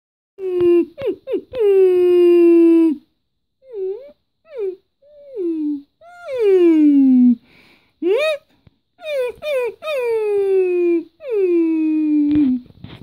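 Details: Female German Shepherd whining indoors while a person copies her sounds: drawn-out, high, falling whines and short yelping notes in bursts, with pauses between, some whines imitated by a human voice.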